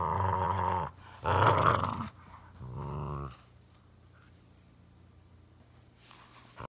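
A Boxer dog gives a few loud, drawn-out groaning and growly vocal sounds indoors.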